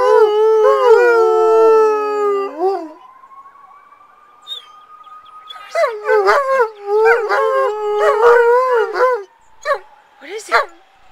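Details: Alaskan Malamutes react to a passing siren: a level sustained howl, then the siren's steady rising wail alone, followed by short wavering howls and yelps from several dogs with the siren faintly continuing.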